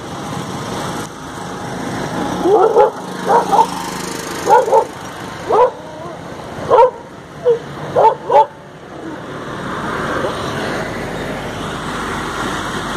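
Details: Indian pariah dog, a female desi dog named Tofy, on a morning walk: sharp barks in quick pairs and short bursts over roughly six seconds, then a steady outdoor hum.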